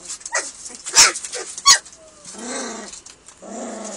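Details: Hungry German Shepherd puppies at feeding time, several pups giving nasal, wavering whines and short squeals, with two sharp clicks or knocks near the middle.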